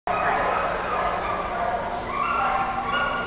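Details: Two Samoyeds sing along to the National Anthem played on trumpet at the 2008 Samoyed Club of America National Specialty in Topeka, Kansas. Sustained, wavering howls blend with steady trumpet tones.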